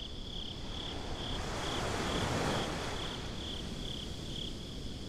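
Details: Crickets at night by the sea: bright, evenly spaced high chirps, roughly four each second, continue through a surging wave that builds and fades around the middle of the clip.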